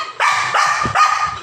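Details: Leo, a pet dog that has just stolen a pointed gourd, lets out three loud, ringing barks in quick succession while a woman scolds in the background.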